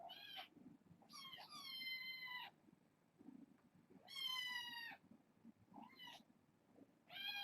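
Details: Young domestic kittens, born in late August, at bedtime indoors as a person sits with them; repeated high, harmonic meows, some long and slightly wavering, others short, several across seven seconds with quiet rustling between.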